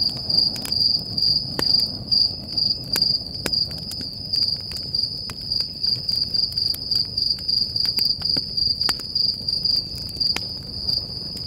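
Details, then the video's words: Crickets singing at night around a campfire at Stoney Creek Campground, Sequoia National Park, California; evenly spaced high-pitched chirp bursts, roughly two each second, over soft fire roar and scattered crackling pops. "Relaxing Campfire Sound with Crickets"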